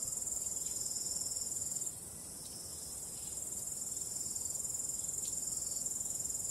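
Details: Crickets calling on a starry night with calm wind: a steady, very high, continuous shrill trill, briefly softening partway through, over a faint low hiss.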